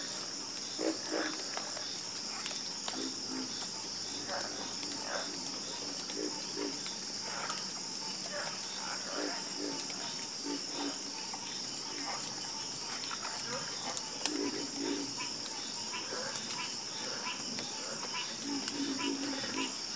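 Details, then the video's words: Chorus of frogs croaking, with short low croaks scattered irregularly through the clip, some in quick pairs. A steady high insect-like hum runs continuously above them. "Calming Sound Of Harmonious Frog Croaking"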